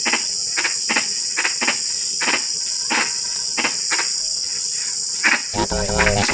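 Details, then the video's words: Frogs in drizzling rain: a run of brief clicking calls every half second or so, ending in a louder harmonic, grating croak, with a steady high insect chorus behind. "SUARA KODOK HUJAN GERIMIS (drizzling rain frog sound)"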